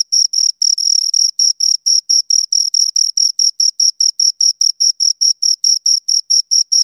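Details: Two crickets chirping close up, a bright, high ringing trill broken into short, rapid pulses, roughly four to five per second, with a fainter upper overtone; steady and clean with nothing else audible.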